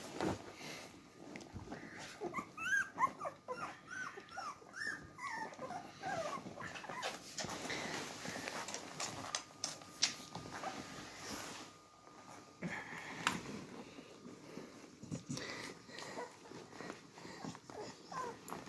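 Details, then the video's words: Beagle puppies drinking milk from their mother indoors: thin, high squeaky whimpers bunch in the first few seconds, then give way to steady soft suckling, small wet clicks and scattered squeaks over a faint constant hum. "Beagle Puppies Drink Milk From Their Mother."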